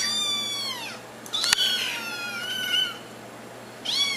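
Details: Kittens meowing to get their owners' attention: a long high meow with stacked harmonics falling at the end, a sharp click near the middle, then overlapping thinner meows and a fresh meow beginning at the close.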